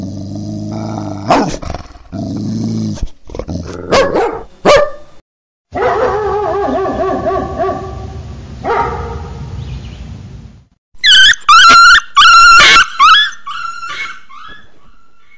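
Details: Dogs barking: a loud, varied run of short harmonic barks and growl-like bursts, broken by a brief gap, then a closing series of sharp, high-pitched barks repeated about every half second.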